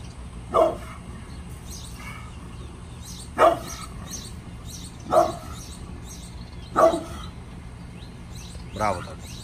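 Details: Pit bull named Bullet, angry on a morning, barking in single loud, harsh woofs roughly every two seconds, five barks in all, with a low background hum.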